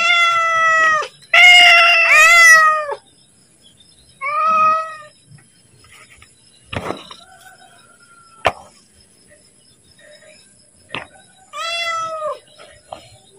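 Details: Pet cat begging for food ahead of feeding: a short meow, then a long, loud, strained meow, a brief mew, sharp clicks and knocks, and a final drawn-out meow.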